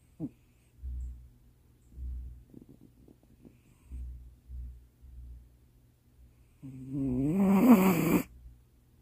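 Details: Baby Precious, a pet cat, sleeping in a lap late at night and snoring: soft, low rhythmic breaths in short bursts about a second apart, then a louder, longer voiced sound with rich harmonics near the end.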